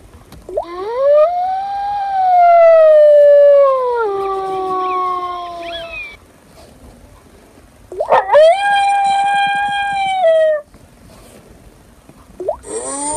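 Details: Wolf howling: a long howl that swoops upward, holds steady for several seconds and then falls away, followed by a second rising, sustained howl and the start of a third.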